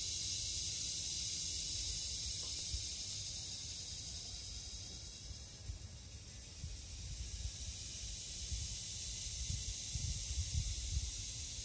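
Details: Philippine cicada (kuliglig) in forest with a loud sizzling drone that dips briefly midway and then surges back, over low rustling and rumbling noise.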